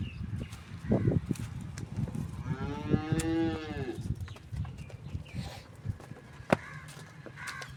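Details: Cholistani Friesian cross cow in Pakistan lowing once, a short falling moo of about a second amid a constant low rumble and scattered knocks.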